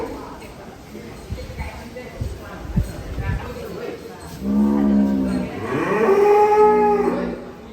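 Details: At Setia Farm, a barn with about a thousand cattle, two loud, deep, tonal moos follow each other closely. The second one rises and then holds. Knocks and quiet voices come before them.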